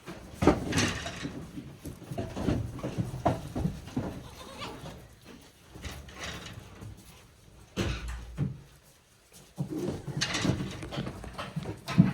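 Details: One-day-old goat kids at Yoshigake, a handmade goat farm, on 17 April 2024: rough, noisy bleats come in bursts at the start, near eight seconds and again near ten seconds, with shuffling and rustling indoors between them.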